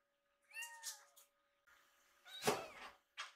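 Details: Two rescued kittens, foster kittens waiting in a neat row for food indoors, give short high meows with bending harmonics, two quick calls then a louder broader meow, with a steady faint hum in the room.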